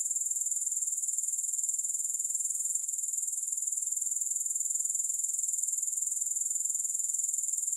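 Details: Grasshoppers in a steady, high-pitched continuous trill, a shrill metallic buzz with a fine rapid pulsing that holds even throughout, no music or other sounds.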